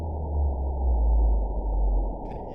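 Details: Baleen whale social call played back at a bioacoustics conference talk: a deep, steady low-frequency moan with stacked tonal bands, swelling in loudness mid-way and easing off. A short burst of speech comes in at the very end.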